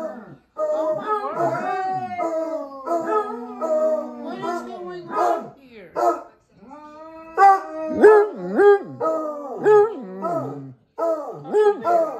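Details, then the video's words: Group of dogs howling in chorus, worked up for no known reason; long wavering, overlapping howls with sliding pitch, broken by short gaps and a few yelping, dipping notes, building and fading in waves. "The Howling"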